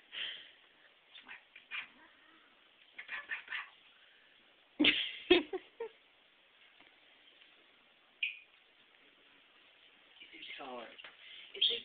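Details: Two pet cats, Lucy and Fuzzy, fight each other indoors in a kitchen: scattered short cries, two sharp loud bursts around the middle, then a drawn-out wavering wail near the end.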